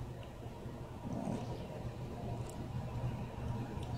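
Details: Low rumbling background noise with a steady faint hum. No clear animal sounds can be picked out.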